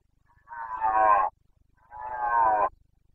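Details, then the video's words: Two drawn-out, raspy bellows from a Carpathian stag in Bucovina's mountain forests during the September 2022 breeding season, each nearly a second long and rich in harmonics, separated by a brief pause. "Boncănit / Carpathian stag Breeding season"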